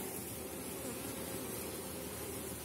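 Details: Honey bees at an open hive in an apiary kept on 4.9 mm small-cell comb, with very strong colonies near the end of the season; a dense, steady low hum of many bees fills the whole stretch without a break.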